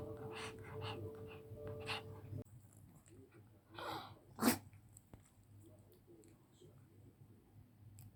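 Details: Thirteen-year-old female Pekingese indoors, sneezing repeatedly: a snuffly intake of breath followed by one sharp, explosive sneeze, with light background music playing during the opening seconds.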